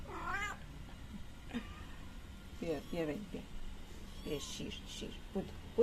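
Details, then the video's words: Mother cat with three kittens in a yard, meowing while being fed milk and rubbing against legs; several short rising-falling meows over steady background hum. "Sweet Cat Thanks Me While Feeding Her Kittens"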